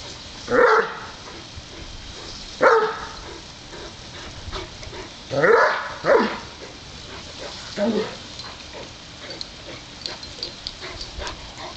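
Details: Great Dane and Wheaten Terrier playing, taking turns at a water sprinkler on a hot day; five short, loud barks at irregular intervals, two of them close together, with quiet background noise between.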